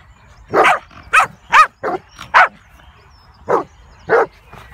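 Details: Komondors barking to coax a companion dog out of a ditch where she was hiding; seven loud, rough barks, several in a quick cluster, then a pause and two more spaced barks.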